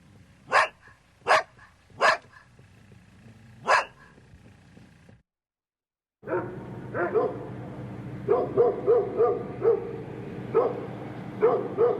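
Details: Large dog barking: four sharp, loud barks spaced under a second apart, a short silence, then a second recording of quicker, rhythmic barking in bursts over steady background hum.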